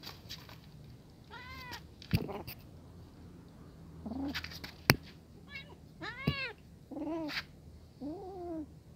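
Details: A brown kitten, afraid in front of adult cats that are eating, with a series of about six arched, rising-then-falling meows, some short and thin, others longer and louder, spaced between sharp clicks and clatter.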